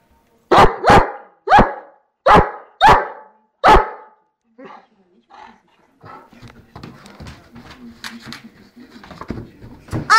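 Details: Dobermann during play barking six times in quick, forceful bursts over the first four seconds, followed by quieter shuffling, handling noise and faint voices.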